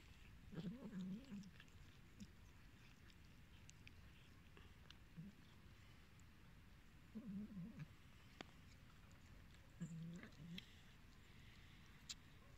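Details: Abandoned, hungry cats giving short low wavering cries in three separate bursts spread across the stretch, with quiet rustling and faint clicks in between.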